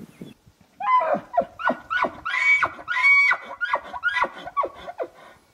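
A bull elk bugles with high, whistled, harmonic-rich tones that break into a run of descending pulses.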